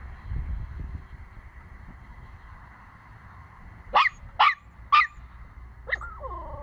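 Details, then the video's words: Puppy learning to bark indoors: after several seconds of low background hum, three sharp high barks come close together, then a final softer yelp trailing into a whine. "Puppies Barking - Cute Puppies Barking Compilation"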